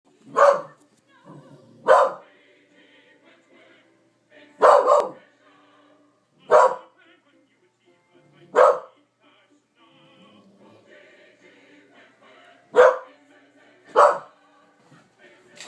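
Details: A female corgi barks sharply and loudly in uneven bursts at a TV commercial that she hates and barks at every time it airs, with faint television sound behind.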